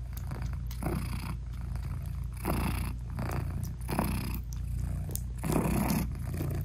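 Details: British Shorthair mother cat nursing tiny newborn kittens and purring to them; steady low throbbing purr with hissy breath pulses roughly every one and a half seconds.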